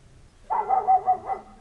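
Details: Village dog on a winter night, waiting for its owner and barking for no visible reason: one drawn-out, wavering bark lasting about a second, with a low hum behind it.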